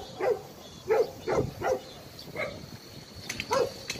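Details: At a Daegu abandoned-dog shelter in South Korea, a dog gives short, hoarse, mid-pitched barks at uneven intervals, roughly six barks in four seconds, with faint clatter in the background.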